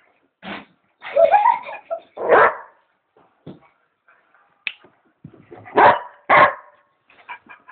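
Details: Pet dog barking and making funny noises, mixing short barks with higher, whiny yips and whimpering sounds, ending with two loud barks close together.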